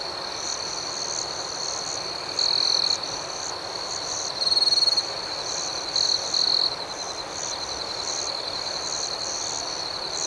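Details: Crickets singing in the night outdoors: an unbroken thin, high chirring drone is lifted by three louder surges of trilling, at about two and a half, four and a half and six seconds.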